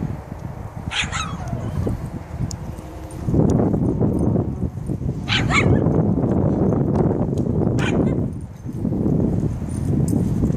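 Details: Many Shiba Inus together in a yard; three short, sharp yips or barks ring out near one, five and a half, and eight seconds over steady low rumbling and scuffling noise.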